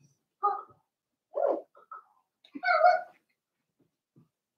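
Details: Young Cavalier King Charles Spaniel puppies, four weeks old in Daisy's pen, make a series of short tonal squeals and whimpers, the loudest a rising, clear squeal near the end, with quiet pauses between.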